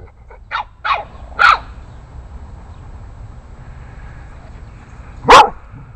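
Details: Eight-week-old Boston Terrier puppy standing up to larger dogs nearby, giving a quick run of three short yaps, a pause, then one loud sharp bark near the end.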